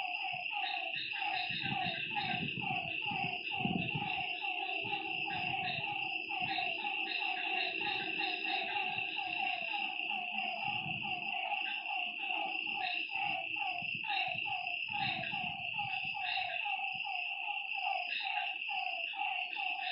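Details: Lakeside frogs at night: a thick chorus of rhythmic croaks, many callers overlapping, beneath a continuous high-pitched whine, with bursts of low rumbling throughout.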